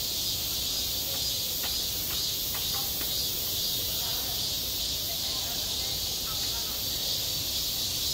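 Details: Summer cicada chorus over a school playground, a continuous bright high-pitched buzzing wall of sound that stays even throughout, with a few faint ticks and low distant rumble underneath.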